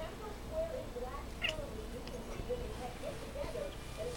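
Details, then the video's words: Indoor female cat chasing a flashlight makes soft, brief chirps repeated several times in a few seconds, faint against a quiet room hum. "Weird Cat Noise"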